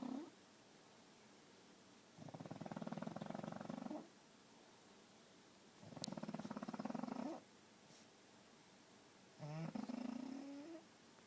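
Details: Snoring pug during sleep, three rattling snore bursts about every four seconds, each a fast buzzy flutter ending in a short rising wheezy note, quiet room between breaths.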